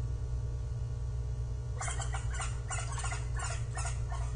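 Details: Japanese giant flying squirrel calling on 25 December 2023, an evening when it also climbed, descended and glided twelve times; about six harsh, raspy, broadband bursts in quick irregular succession over roughly two and a half seconds, above a steady low hum.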